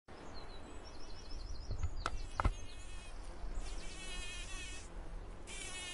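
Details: Pollinating bees buzz in steady, droning bursts over a low, distant wash of sea.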